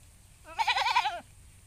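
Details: Black and white goat eating leaves, giving a single wavering bleat of about seven-tenths of a second, strongly harmonic with a quavering, tremulous quality, over quiet low background noise.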